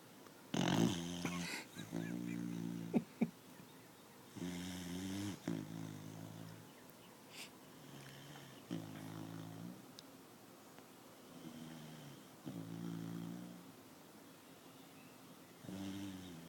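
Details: Sleeping Beagle-English Bulldog mix puppy snoring loudly: rasping, harmonic snores in low-pitched bursts of one to two seconds, repeated about every two seconds with short pauses, some breaths louder and buzzier than others.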